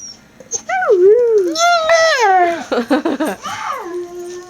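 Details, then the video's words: Siberian husky puppies making baby howls: a bending howl, a quick burst of choppy yelps, then a falling howl that settles into a steady tone, indoors with voices nearby. "Husky siberian howling"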